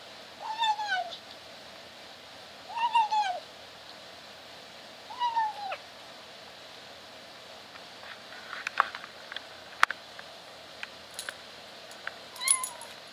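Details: Caged kitten attempting to meow while she eats: three wavering, bent meows about every two and a half seconds at the start, followed by chewing clicks and crunches and one faint short mew near the end.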